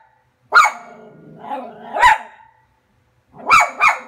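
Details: Frankie the cairn terrier barking at the television: a sharp bark trailing into a whiny growl, another yelp at two seconds, then a pause and two quick barks close together.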